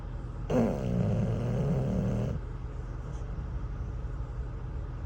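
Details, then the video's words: English bulldog named Cruz, asleep at a truck stop and worn out by a campfire toy, gives one rough, rattling snore under two seconds long, low and gravelly. Quiet steady background rumble follows. "Bulldog Snoring at a Truck Stop"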